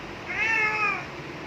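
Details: Domestic cat meowing while its owner calls it to come in: one clear, drawn-out meow rising then slowly falling, lasting under a second, harmonics well marked, in a quiet setting.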